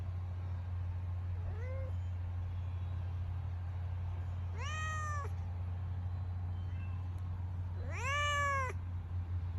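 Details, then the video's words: Domestic cat or kitten meowing indoors: two faint, short rising calls near the start, then two louder arched meows around five and eight seconds, each under a second, over a steady low hum, with a few Spanish words nearby. "Cat And Kittens Meowing Playing Crying Snoring Eating Yawning"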